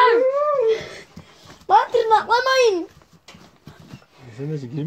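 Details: Kangal puppies at play in a village, whimpering in rising and falling whines, with short high yelps in between and a low drawn-out whine at the end, while a person talks nearby.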